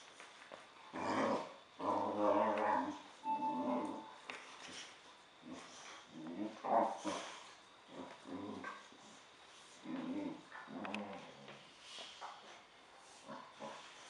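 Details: Boxer dog playing with another dog, making playful 'talking' noises: low, rumbling grumbles and moaning growls in irregular bursts, rising and falling, with short pauses and faint household background.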